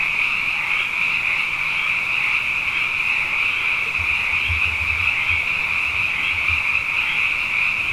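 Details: Many frogs singing night after night following two wet years, a steady high buzzing chorus without pauses, and a soft low rumbling noise entering midway beneath it.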